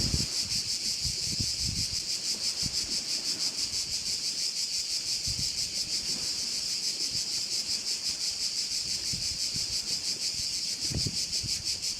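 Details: Korčula crickets at a Croatian bay: a loud, uninterrupted high-pitched shrill buzz, rhythmically pulsing, accompanied by occasional low wind bursts.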